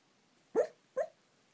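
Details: Sixteen-year-old dachshund talking in its sleep: two short, muffled yips about half a second apart, the first slightly longer, in a quiet room.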